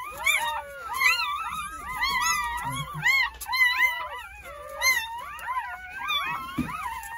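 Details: Crying of newborn Jindo pups during a New Year's Day whelping of nine at a country home, morning to early afternoon; piercing, warbling whines arrive in pulses about once a second, several voices layered, with a short low knock near the end.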